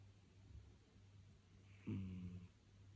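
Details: Sleeping cat snoring indoors: after a quiet hum, one low, droning snore with stacked tones rises sharply and holds for about half a second before fading.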